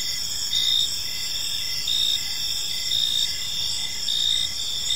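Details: Crickets chirping in a peaceful park as evening unfolds: a steady high, shimmering trill layered with short pulsed chirps recurring roughly every second, over a low rumble of background noise.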